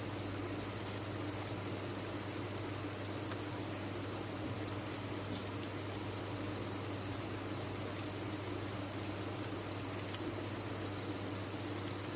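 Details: Chorus of crickets from a cricket farm: a steady, shrill, pulsing high trill sustained throughout, individual chirps merged into one constant band, with a quiet low drone underneath.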